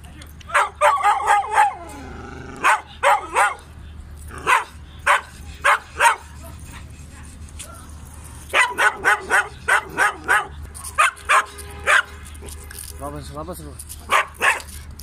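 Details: German Shepherd dogs at a kennel in Peshawar, with single, double, medium and long coats, bark in dense, irregular bursts of sharp, rough barks. Some clumps are rapid, a brief whining yelp comes near the end, and a low hum runs underneath.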